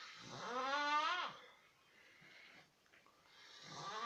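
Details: Ground squirrel making a sound described as snoring that resembles a siren: a loud, wavering harmonic wail lasting about a second, followed by a quiet pause and the start of another rising wail. Indoors, no other clear sounds.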